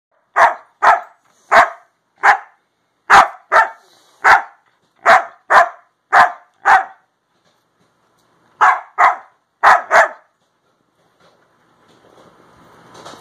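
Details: Pet Siberian Husky talking to its owner indoors: a run of short, clipped bark-like yips and woos in quick succession, a pause of about two seconds, then three more, with faint rustling near the end.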